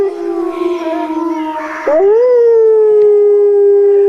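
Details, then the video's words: Wolf (Canis lupus) howl: a lower, quieter, gently falling tone, then a louder voice breaks in, swooping upward and settling into a long, steady, clear note. "Som do Lobo Uivando - Wolf howling Sound Effect"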